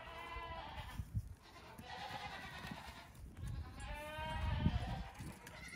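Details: Young farm goats around two weeks old, playing in the morning, give two wavering bleats and shorter cries amid bumps and shuffling footsteps.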